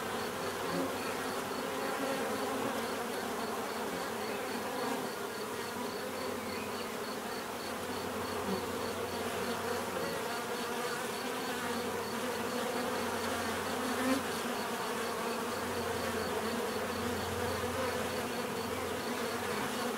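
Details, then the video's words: Many bees buzz in a steady, unbroken drone, single insects occasionally rising louder nearby, with a low hum surging at intervals and a faint fast high pulse behind. "bees therapy relaxing natural buzzing sound"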